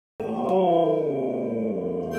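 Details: Siberian Husky yelling at a calm golden retriever; one drawn-out, wavering howl-like moan with rich harmonics, starting low and sliding slightly downward over two seconds, after a brief silence.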